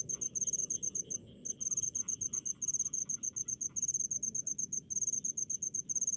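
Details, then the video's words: In a rice field, a cricket repeats short high-pitched pulsed chirps in quick succession, roughly fifty bursts a minute, with fainter chirping insects and a low hum behind. "SUARA JANGKRIK DI PESAWAHAN"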